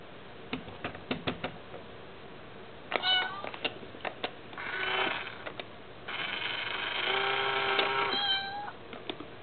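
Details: Indoors, Mayu the cat is unsettled by the tiny toy kitty in an Itazura coin bank; quick clicks and taps lead into two long, wavering meows, the second stretching about two seconds.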